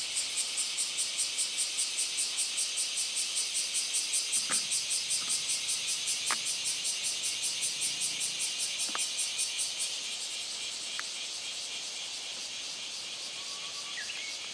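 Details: In mid-July, just after the rainy season ends, a male bear cicada sings a loud, dense, metallic, rapidly pulsing buzz near a dragonfly, while a male bush warbler's faint, brief notes slip through behind it.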